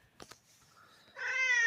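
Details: Cat giving a single clear meow that starts at the very end of the clip and is cut off, preceded by a couple of soft clicks and near quiet.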